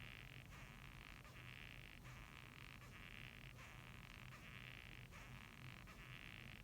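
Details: Japanese rhinoceros beetle making a rhythmic creaking sound: grating bursts, some longer and some shorter, in a loose 'gyuu-i gyu' pattern, over a faint low hum.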